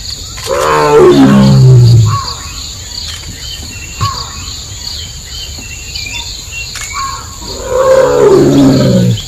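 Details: A tiger in the jungle of Nagarahole Tiger Reserve, India, calls twice, each a loud, throaty moan starting higher and sinking into a low rumble over about 1.5 seconds, several seconds apart, with faint bird chirps in between.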